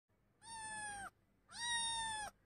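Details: Persian kitten offered for sale in Vadodara, Gujarat, India, gives two clear, steady meows. Each is loud, rich in harmonics and flat in pitch, lasting under a second, with a short quiet pause between them.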